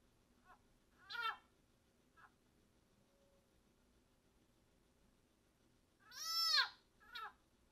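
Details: A wild-caught leopard frog being eaten by a broad-banded water snake gives loud, cat-like distress screams, long rising-and-falling wails separated by shorter cries, a call that persists while a snake feeds.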